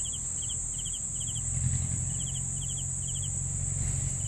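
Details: Crickets heard in a recording for sleeping: short pulsed chirps of three to four notes repeated roughly every half second, over a steady high-pitched insect drone and low rumbling background noise.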